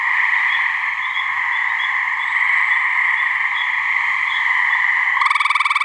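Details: Gray treefrogs (Hyla versicolor), a couple of wild frogs in a New Hampshire swamp, giving mating calls: steady overlapping buzzy trills holding two bands, then a louder close pulsed trill starting near the end.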